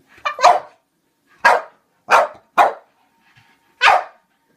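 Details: Pluto, a French Bulldog alarmed by a toy clown, barks loudly five times in under five seconds, each bark short, harsh and broad, in a small indoor room.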